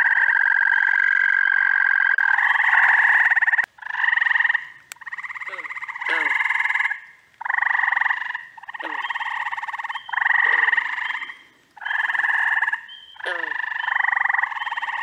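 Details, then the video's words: Frogs calling together during the first week of June in upstate New York: loud pulsed trills about one second long, repeated every second or so, overlapping a steady tonal trill, with short downward chirps between. "Frog Orchestra. Treefrogs! Toads! Peepers! Green frogs!"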